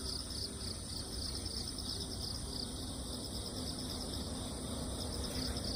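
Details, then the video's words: After a typhoon, crickets chirp over moist earth, their high trills pulsing rapidly and evenly in stacked bands above a constant low background hum. "귀뚜라미, 풀벌레소리"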